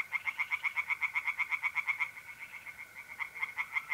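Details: Night chorus of tree frogs in a pond, mid-April, north-east Italy; a fast run of sharp, pulsed croaks at roughly four per second fills the whole stretch, over a continuous mole cricket trill.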